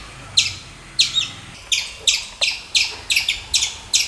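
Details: Squirrel giving short, harsh chip notes, some doubled, spaced about half a second to a second apart, each a sharp bright burst against a quiet low hum.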